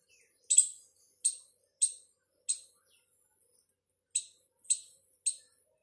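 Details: A squirrel gives sharp, high-pitched chipping notes in a steady series, about two per second; the owner suspects it is calling its partner.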